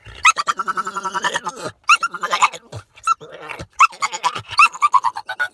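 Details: A pet dog making funny, voice-like vocal sounds: bursts of wavering, nasal, bleating tones with rapid warbles, in three runs separated by short silences.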